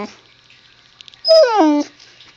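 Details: Husky puppy Zoey talking back to her owner: one loud, harmonic yowl that starts high, holds, then slides steeply downward in a groaning fall, lasting about half a second, in a quiet room.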